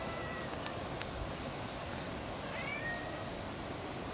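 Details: After an October 2014 typhoon, a cat gives one brief, thin, upward-sliding meow midway through, with a faint drawn-out tone at the start and a constant noisy hiss underneath.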